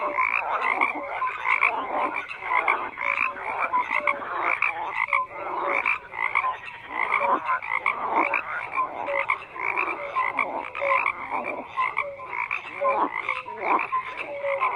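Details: Dense frog chorus: many overlapping croaks and rattling calls in a steady mid-pitched din, with short whistled notes popping out repeatedly, continuous throughout without pauses.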